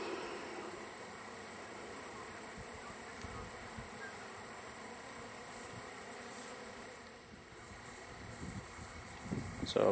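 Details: Disturbed bees of a wild hive being collected, unhappy at the work, give a steady low buzzing drone, with handling thumps and a short clatter at the end.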